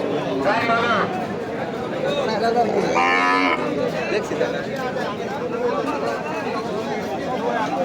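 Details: Cattle at the Nandail Chourasta cattle market in Bangladesh on 17 July 2025, where Sahiwal, Friesian and local cows are sold. Two drawn-out, harmonic moos rise above steady crowd chatter, people talking and background music.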